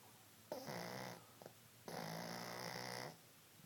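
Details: Cassie, a dog asleep, lets out two long rasping snores about a second apart in length, each steady and buzzy, with a quiet breath between them.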